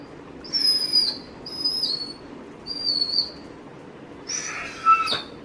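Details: A Dobermann impatiently awaiting its owner whines in three clear, high, slightly descending notes about a second apart, then gives a rougher squeaky cry near the end.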